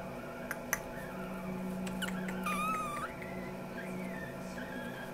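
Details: Amibebe puppy, a chocolate fawn female, offered by a breeder, giving high thin whines that rise and fall, with a longer wavering whimper near the middle, indoors in a small room with a low steady hum.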